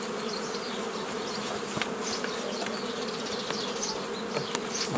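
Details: Steady hum of many honey bees while nucleus colonies are formed in the old style on 15 May 2018; unbroken drone, a few light taps, and distant chirping birds.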